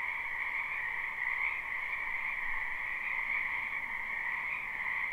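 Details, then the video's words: Frogs calling en masse in a wetland during spring, recorded live near a house: an unbroken, shimmering chorus of quick pulsed croaks on two steady pitches, evenly loud from start to finish. "Ambient Noise for Sleep Frogs"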